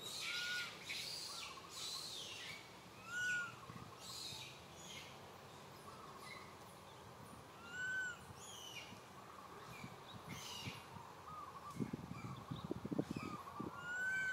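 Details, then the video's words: Young monkey Santo cries for Mama Sara, wanting milk: sad, tonal arched cries that rise and fall, spaced a few seconds apart, over steady background hiss, with rustling toward the end. "Little Monkey SANTO feels sad and cries so sadly call Mama SARA came to take care of him"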